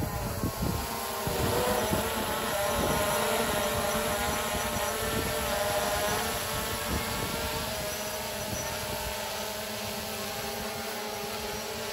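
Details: Engine-like droning with wind noise and rattling rapid pulses, steady throughout, and no animal voice.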